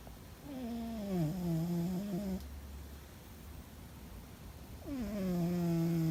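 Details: Fuzzy the cat snores in his sleep, apparently dreaming: two long, droning, tonal breaths that dip slightly and then level off, with a quieter gap between them in a small indoor room.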